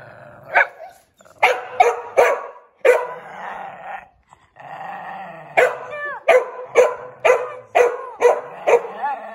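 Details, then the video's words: Samoyed dog reacting to the invisible challenge indoors; a rapid, irregular series of sharp barks and yips, about two per second, mixed with short whining, rising-falling cries and a low growl, with faint background talk. "My dogs reaction to the invisible challenge | Ghiaccio Samoyed"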